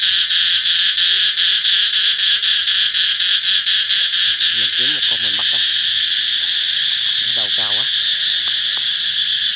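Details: Summer-announcing cicada song: a constant high, harsh buzzing drone fills the clip, while faint human voices murmur briefly in the middle.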